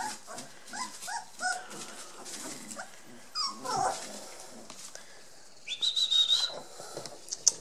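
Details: 23-day-old Border Collie puppies Yack and Star, blue merle and black-and-white, whine in short wavering notes with pauses between, then give one drawn-out, thin, high whistle-like whimper near the end.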